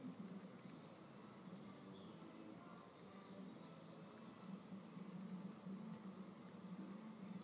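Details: Red mason bees fighting over a nest cavity, pushing, shoving and biting: a low, steady buzzing hum that breaks off and restarts through the clip, louder near the end, with faint bird chirps in the background.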